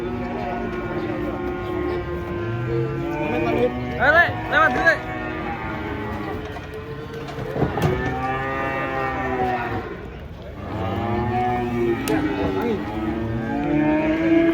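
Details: A cow unloaded from a truck after jumping and falling moos in long, low, harmonic-rich calls at the start and again at the end. Between them, several people call out and talk nearby.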